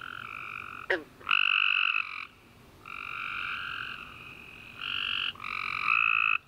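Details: Nighttime chorus of tree frogs following a warm summer rain: loud buzzy two-toned chirps lasting around a second each, separated by brief pauses, opened by a sharp falling click.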